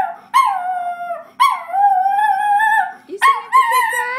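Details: Sophie, a singing schnauzer, howls in long drawn-out tones, three sustained wavering notes with harmonics, each lasting about a second, the last rising into a higher yodel-like phrase.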